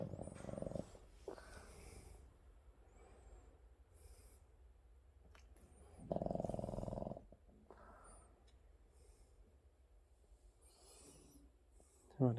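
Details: Maru, a 7 kg Maltese sleeping in a cozy bedroom shared with a Boston Terrier, snoring: long quiet stretches of soft breathing broken by two loud, rough, buzzing snores several seconds apart.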